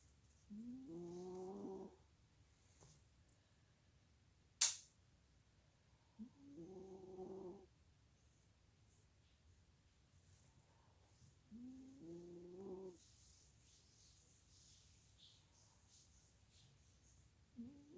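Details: Sleeping Chihuahua dog snoring: three drawn-out, nasal, harmonic wheezing breaths about two seconds each, spaced roughly five seconds apart, with a sharp click near the middle and quiet room background.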